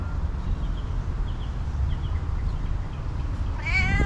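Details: Hungry female cat, happy to get attention and food, gives a single wavering meow at the end after faint chirps, with constant low-pitched background rumble throughout.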